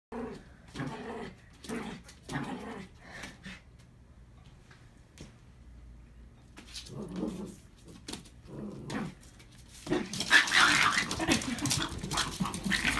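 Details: Rat Terrier dogs at play indoors at a workplace, one trying to pin the other down; low throaty growls and grumbles in short bursts through the first half, then scuffling noise and a person's voice toward the end.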